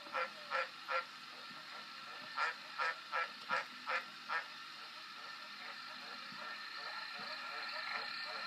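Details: Green tree frog giving short, nasal, honking croaks: three in quick succession, a pause, then a steady run of six, then fading to quieter, softer notes over a rising background hiss.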